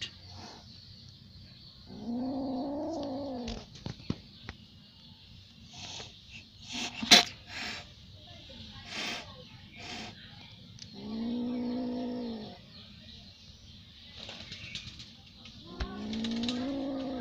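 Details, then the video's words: Angry little cat lets out three long, low, moaning yowls, each about one and a half seconds and slightly arched in pitch, separated by quiet stretches with clicks and rustling against a constant hiss. "Little cat. Angry mood"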